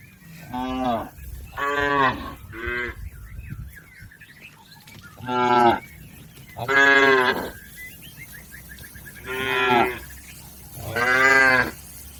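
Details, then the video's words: Cattle, a healthy tame village herd grazing in a green field, giving seven harmonic moos in irregular succession, some short and some drawn out, while a faint wavering whistle-like tone sounds between calls. "Suara sapi Moo"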